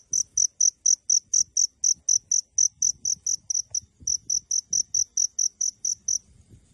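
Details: Hidden crickets heard from close by give evenly spaced, high-pitched chirps about twice a second. The chirps pause briefly midway, then resume and stop just before the end over soft low handling noise.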